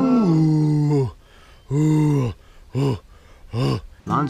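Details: Lion roaring: two long, deep, moaning bellows, each about a second, followed by a series of shorter, clipped grunts spaced under a second apart. The background is quiet.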